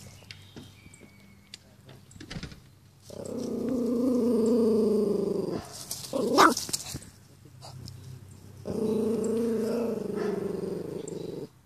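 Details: Pomeranian confronting a dandelion for the first time, giving two long, rumbling growls of about two to three seconds each, separated by a brief sharp yelp-like bark, with quiet pauses around them.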